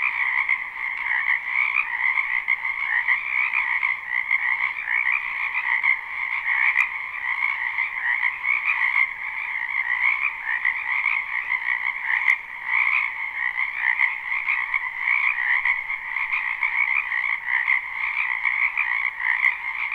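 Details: Frogs massed in a spring wetland behind a house, recorded live without looping: an endless, even chorus of fast rattling croaks at a middle and a higher pitch, broken only by three faint isolated clicks.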